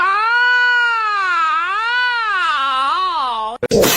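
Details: A cat gives one long, drawn-out meow of about three and a half seconds, its harmonic-rich pitch wavering up and down in slow waves before dropping, cut off by a short burst of noise.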